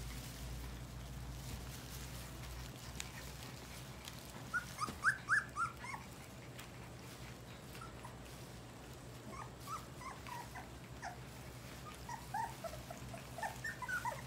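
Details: English Golden Retriever puppies, four weeks old, let out clusters of thin, high-pitched squeaks and whines in three short bursts, separated by quieter stretches filled with a constant low background hum.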